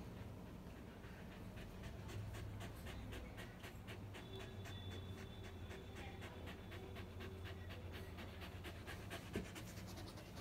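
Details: Lucky, a dog disabled from birth, pants while playing with his mommy: soft breathy puffs come in a quick, fairly even run, over a steady low hum.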